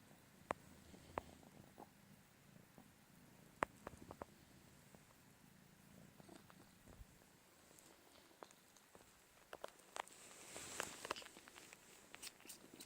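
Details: Four-month-old calico kitten still suckling from its mother, a mother and daughter pair of domestic cats; soft low purring rumble throughout with scattered clicking, smacking suckling noises and brief rustles.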